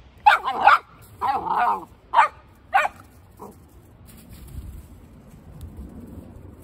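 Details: Martta, a one-year-old Golden Retriever, gives a quick series of about five sharp, high barks and yips within three seconds, followed by one softer short yelp, then a quiet room with faint low rustling.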